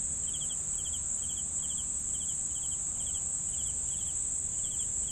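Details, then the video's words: Crickets keep up a regular chirp, each note a tight cluster of pulses repeated about twice a second, with a constant piercing insect buzz above and a gentle low hum. "CRICKETS SOUNDS"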